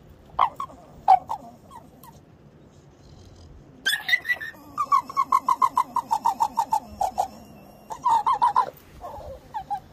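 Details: A Staffordshire Bull Terrier known for singing, heard while its owner sits having coffee: short yelps, then a run of rhythmic, pulsing whining howls about twice a second, ending in a few more wavering cries.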